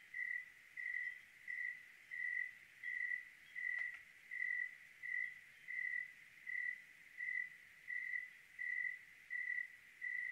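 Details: Clear-night cricket song from Oregon: roughly 15 uniform chirps at a steady pace near 85 per minute, plus a single faint click partway through.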